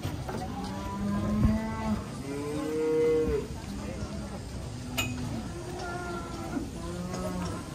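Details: Agitated cattle, raging and afraid of water, finally carried: a series of low, drawn-out moos, some bending upward in pitch, following one another every second or two, with faint rustling and background noise.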